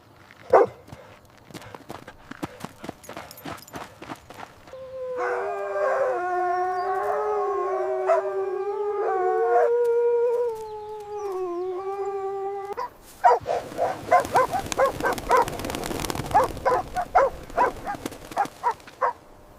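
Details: Playful puppies on fresh green grass; a sustained wavering howl with rich harmonics lasts about eight seconds, framed by scattered yips, panting and a man talking before and after.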